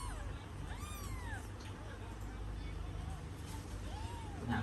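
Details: Cat with nursing kittens: a few thin, arching mewing calls rising then falling, over a steady low hum and background voices.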